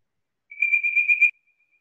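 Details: Bird-voiced treefrog (Dryophytes avivoca) in Georgia, USA, giving one smooth, high, non-raspy whistled note lasting under a second, with a faint rapid flutter through it, much like a songbird.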